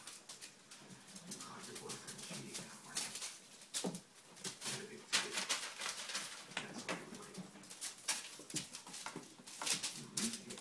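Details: Bullmastiff puppy making soft, low whimpers and grunting noises in short irregular bursts, with frequent clicks, rustling and handling noises throughout.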